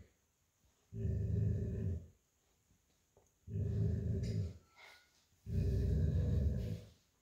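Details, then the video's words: Old Golden Retriever growling playfully during tug-of-war with an American Akita puppy over a stuffed toy, lying on a tile floor; three deep rumbling growls, each about one second long, separated by quiet pauses. "Lazy Old Golden Retriever Playing Tug of War With American Akita Puppy Over Plush Toy & Growling"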